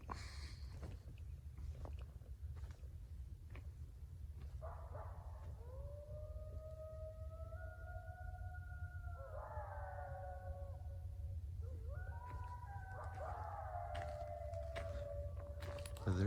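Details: Coyotes close by, just on the other side, heard from a campsite: several long, wavering, overlapping howls, gliding up and down and breaking into higher yips, over a steady low rumble.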